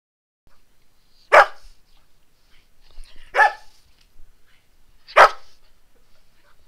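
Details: Young dogs at a playgroup on 24.03.2012, a Golden Retriever, Labrador, Ridgeback, Havanese and a mixed breed romping and meeting new friends; three sharp, loud single barks about two seconds apart over an otherwise quiet background.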